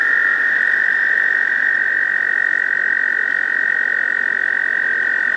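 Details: American toad males in a breeding pond in spring, usually May, calling to attract a female; one continuous, even, high-pitched trill fills the whole stretch.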